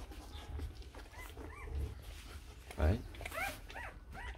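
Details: Four-day-old Rottweiler puppies from the litter of Vietnamese champion Loki Gervi and Faye, giving a few thin, arching squeaks at scattered moments, with a low indoor rumble and soft rustling.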